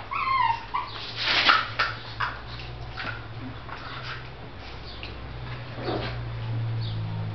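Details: Miniature Shih Tzu puppy from a kennel, indoors, giving high thin whimpers and short yips that slide downward, clustered early, then scattered faint whines over a steady low electrical hum and soft knocking.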